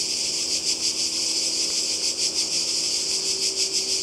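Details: Cicadas by the sea in Croatia in summer: a short stretch of intense shrill buzzing that swells and fades in slow pulses about every half second.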